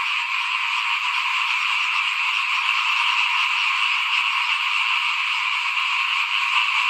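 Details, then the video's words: A frog chorus outside a house in the 2021 rice-sowing season: high, rattling trills from many callers, layered densely and sustained evenly from start to end. "เสียงเขียดร้องหน้าบ้าน ตอนหว่านข้าวเตรียมปลูกปี2021"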